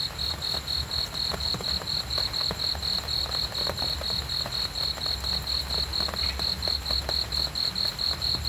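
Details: A cricket chirps on and on for sleep and relaxation, its piercing high pulses coming evenly about four each second, with a dull low hum and occasional faint ticks behind.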